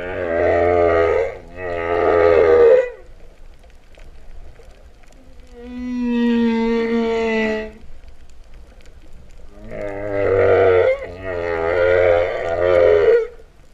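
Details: Humpback whale song heard while swimming with whales at Vava'u, Tonga, September 2015, likened to mooing: paired grainy harmonic moans, a clear high wailing tone mid-phrase, then two more moans after a pause.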